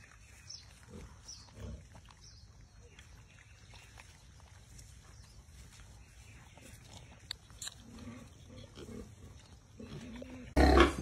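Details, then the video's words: Wild boar piglets, brown with stripes along the body, foraging in a garden beside their mother. They are kept semi-wild and graze on grass and bananas. Scattered low, short grunts come in small clusters, and a loud rustling burst sounds at the end. "Đàn lợn rừng con lon ton kêu ụt ịt kiếm ăn trong vườn"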